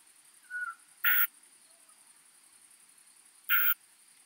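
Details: Song of a more-modest plump bush-cricket at Eichkogel, Austria, 18 June 2022, heard via an ultrasound detector: two brief rasping bursts about two and a half seconds apart, preceded by a faint, short whistled note.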